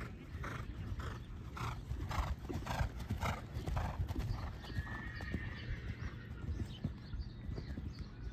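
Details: Manny, a horse competing in a 1.15 show jumping round at Kihikihi in November 2023: rhythmic thudding hoofbeats for about four seconds, then a brief high, tonal, slightly falling whinny over low outdoor rumble.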